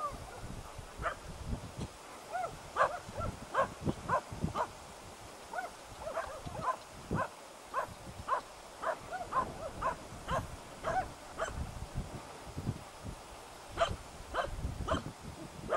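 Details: Hunting dogs Prle and Pirana Janiorska baying at a dead deer in Salas on 8 September 2012: a steady run of short, sharp barks, roughly two to three per second, over low rumbling handling noise.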